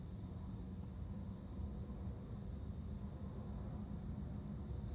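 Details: Courting male cricket calling to a female for mating on September 29: high, bright chirps in quick bursts of four or five pulses about every second, alongside a thin rapid ticking, over a deep constant hum.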